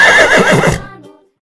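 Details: Horse neighing from a children's farm-animal learning sequence: one loud, quavering whinny under a second, wavering then trailing off into an echoing fade.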